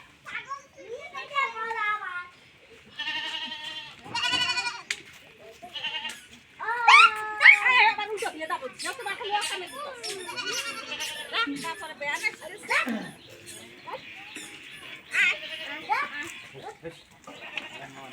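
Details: Goats calling during milking in a village: repeated quavering bleats mixed with overlapping conversation, background voices and short music passages.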